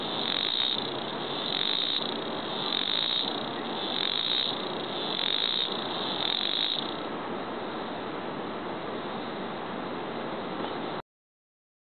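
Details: A dog day harvestfly calling: a loud, continuous harsh buzz that pulses in strength about every second and a quarter for the first seven seconds, then holds steady until it cuts off abruptly near the eleven-second mark.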